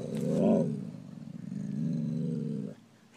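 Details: Siberian husky making a low, drawn-out groaning howl on command when told to say his prayers; a brief rise near the start, then a steady moaning tone lasting about two seconds before fading.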